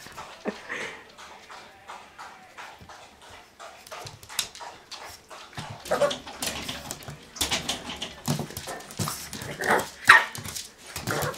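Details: Boston Terrier Lille Venns Dolly Milla confronting a mirror, giving soft whines and grumbling huffs that build into louder, breathy yips and short barks toward the end.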